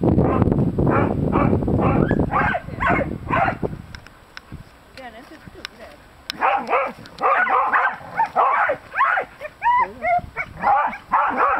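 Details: Three Irish Terriers trying to catch baby hedgehogs: bursts of rapid, excited barking, then higher yips and whimpering cries with rising, bending tones, repeated about every half second, with quiet gaps between.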